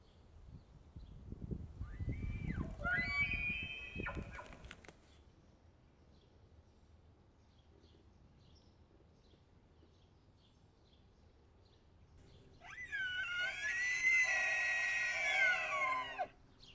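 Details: Elk bugling during the rut in Montana: a rising, squealing whistle climbing high, then breaking off, followed after a quiet pause by a second long, shrill, wavering bugle, over faint rural background.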